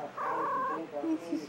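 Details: Trixie, a pet cat, gives a single drawn-out, steady meow lasting about half a second, then quieter murmuring sounds and a person's voice toward the end.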